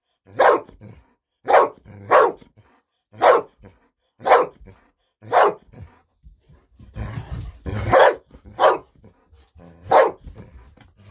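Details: Golden Retriever Bis barking happily and nonstop while waiting indoors for a fish-sausage treat, alongside a calmer companion dog Kohaku. Ten sharp, loud barks come in uneven bursts about a second apart, with a brief rustling scuffle midway.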